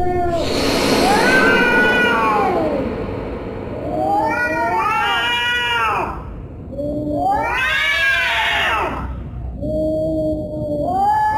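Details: Cat caterwauling: a loud, harsh opening wail followed by three drawn-out arching meow-howls that rise then sink, separated by brief pauses.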